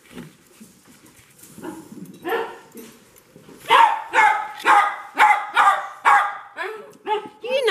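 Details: Dog greeting its owner on her return home, excited: a run of sharp, evenly spaced barks and yelps roughly every half second in the second half, preceded by quieter whines and snuffling; a higher yelp at the end.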